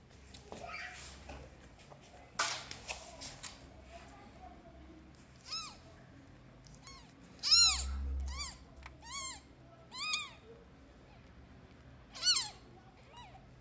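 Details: Newborn domestic kittens, rescued strays on their first day indoors in a flat, meow for their mother and for food: a run of high, thin, arching meows at uneven intervals, some stacked close together, after a dull knock early on.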